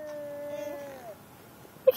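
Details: Pet cat Gilligan, made mad by a car ride to the vet, holds one steady, plaintive meow for about a second before it bends down and fades, with a quiet car interior behind it.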